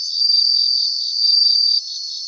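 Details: A bell cricket in a Japanese grassland gives a clear, high, continuous ringing trill that stops sharply near the end, leaving a softer pulsed chirping from other insects behind it.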